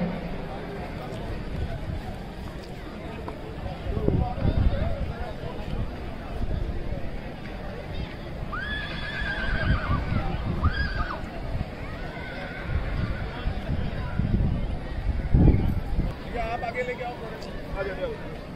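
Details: Marwari horse at the 2023 Ransi horse show, a colt show for young milk-teeth horses: a wavering, arching whinny rises and falls mid-clip over steady crowd chatter, hubbub and low rumbling noise.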